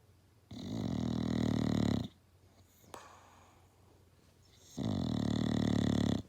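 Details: A male English Bulldog napping snores loudly, two long rattling breaths separated by a quiet pause.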